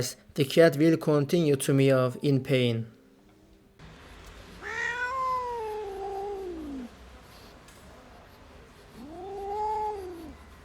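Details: Abandoned kitten, left freezing for two days in the snow at -11°C before rescue, gives two long, drawn-out meows that rise and then fall, with a human voice speaking in the first few seconds.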